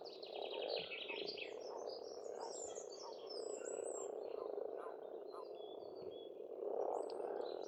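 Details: Pond frogs in Estonian spring keep up a steady rough croaking chorus, louder at the start and close, overlaid by many high twittering bird calls and a rapid trilled phrase at the opening.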